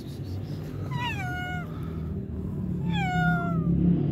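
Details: Hungry stray cats, including a mother or pregnant cat, meowing outdoors: two clear descending meows about two seconds apart, each with strong harmonic bands, over a steady low rumble of traffic-like background noise.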